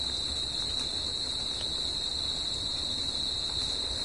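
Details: Crickets calling at night in natural surroundings, a constant high metallic ringing with no breaks, a faint upper overtone-like tone and soft, steady noise below.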